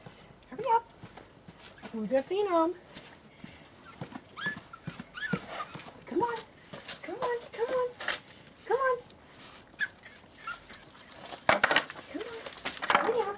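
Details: Puppies seven weeks old, being called along and asked if they are hungry. Repeated arching whimpers and squeaky whines, with a few sharper yelps near the end. A woman's voice calls "come on" and laughs throughout.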